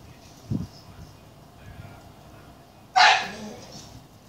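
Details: Cedric, a Staffordshire Bull Terrier, going after a black bag while being egged on with spoken encouragement; a brief soft sound early on, then one loud, harsh bark near the end.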